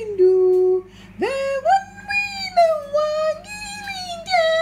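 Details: A female Yorkshire terrier "sings", howling in long, sliding, high tones that rise and waver like a yodel.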